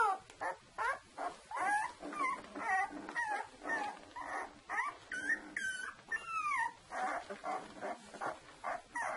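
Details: Saluki puppies, a litter two weeks old, keep up a busy chorus of yelps and whines: short rising and falling squeaks come about twice a second, overlapping, with a few longer sliding cries in between.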